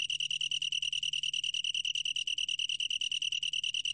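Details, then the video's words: Rapidly pulsed high trill of a long-tailed tree cricket, National Institute of Biological Resources, 2020; clear ringing chirps follow one another at roughly ten per second, steady and unbroken. "긴꼬리, 여러번 듣기, 곤충소리"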